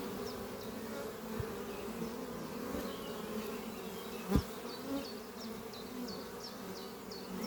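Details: Worker honey bees flying around a horizontal oak-chest hive on a spring morning, bringing pollen; even droning buzz, one sharp knock midway, and a regular run of thin high bird notes repeating about twice a second.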